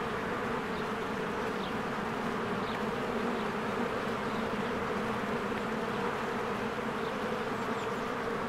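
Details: Honeybees swarming around a cozy hive in springtime: a steady dense buzz of countless wings, humming evenly, with several faint brief bird chirps scattered through the background.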